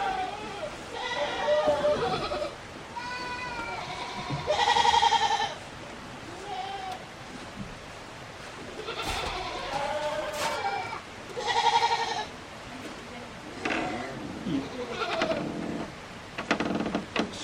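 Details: Goats at feeding time on a small handmade farm in Yoshigake, Himi, Japan, 24 January 2021; a few wavering, nasal bleats break through frequent human talk, with clatter and shuffling between calls.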